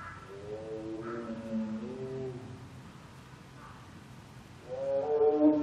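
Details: A male Siberian tiger, born February 2011, at Seoul Grand Park zoo in midwinter gives long, drawn-out moaning calls with rich harmonics, rising and falling in pitch.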